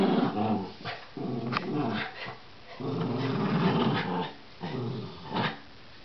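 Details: Rat Terrier in a tug-of-war game, growling in repeated rough rumbles of about a second each, broken by brief gaps, plus clicks and scrapes from the struggle.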